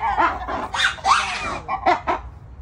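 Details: A black-and-white ruffed lemur at a zoo (Santa Ana) gives harsh, raucous barking bursts in quick succession.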